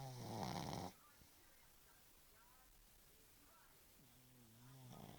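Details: Bosya the pug snoring: one loud, rasping, broadband snore lasting just under a second, then a quiet pause, then a softer, low, buzzy snore that rises slightly toward the end.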